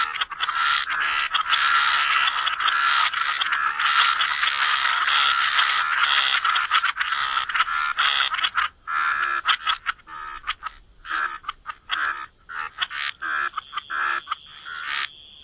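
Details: A dense wetland chorus of croaking frogs, continuous overlapping raspy calls for the first half, then breaking into separate choppy croaks with gaps as the chorus thins.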